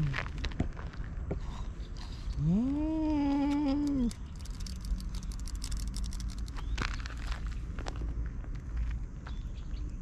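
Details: A grey tabby-and-white cat chasing an intruding orange tabby off its turf lets out a low, rising moan that holds in a wobbly growling tone for nearly two seconds before dropping. Outdoor background rumble and clicking noises follow.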